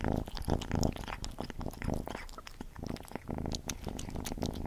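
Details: Cat named Gordy at its food, close-up: rapid moist chewing and lapping clicks layered on a low humming rumble, steady throughout with small bursts of louder smacks.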